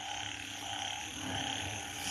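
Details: Banded bullfrogs call after rain near 10 pm in front of a bypass market, Thailand, in a dense, droning chorus of overlapping low, lowing croaks.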